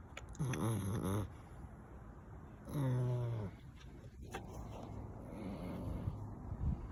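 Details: Eight-week-old American Bully pup snoring while hanging off a chair after play time: two low, rasping snore breaths about two seconds apart, followed by softer, quieter breathing.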